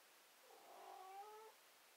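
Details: Cat whining: one drawn-out, harmonic meow lasting about a second, steady in pitch with a slight rise and fall, in a quiet room.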